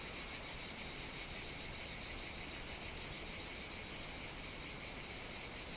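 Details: Cicadas singing on the Greek island of Evia during hot summer days, a Mediterranean chorus that starts early in the morning; a steady, dense, high buzzing hiss runs unbroken throughout with no pauses.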